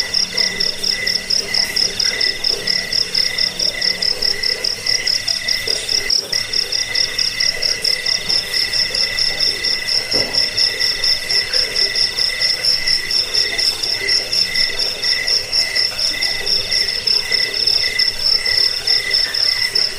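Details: Cricket chirping offered as a rat repellent and sleep aid: a steady, shrill high trill of rapid pulses with a fainter lower buzzing tone beneath, continuous for the whole stretch with no other sounds.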